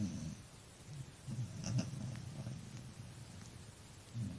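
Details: One tired dog snores in low, rasping, pulsing breaths, with two brief faint high squeaks near the middle and a quiet hiss throughout.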